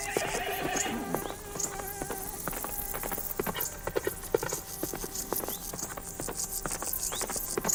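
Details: Farm horse giving a high, quavering whinny that descends over about a second, followed by irregular hoof clops and shuffling; a low background hum continues.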